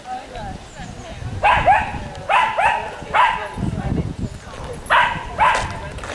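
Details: Welsh Terriers meeting other Welsh Terriers at Chatsworth House, outdoors; sharp mid-pitched barks in bursts, five loud barks across six seconds, with people talking and background crowd noise.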